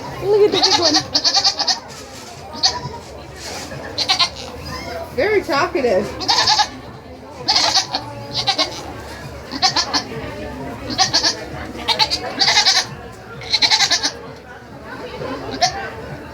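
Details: Goats at a state fair bleat repeatedly in short, wavering, nasal bursts over a background of people talking.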